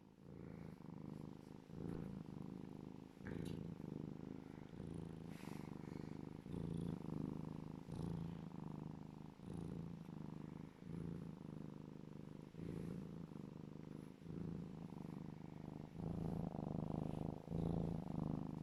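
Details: A happy serval cuddling purrs loudly and steadily, a deep rumbling vibration that pulses with each breath.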